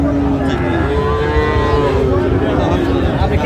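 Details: At a Tangail cattle market in Bangladesh on 16 October, Sahiwal bull calves low amid buyers: one long, smooth, harmonic moo swells and fades within a few seconds over a constant background of voices.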